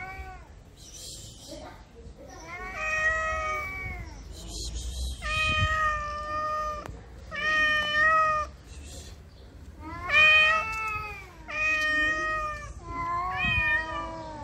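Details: Aroused cat in heat among Moroccan street strays, repeating wavering yowls about every two seconds, each one rising then falling, with a human voice speaking faintly in the background.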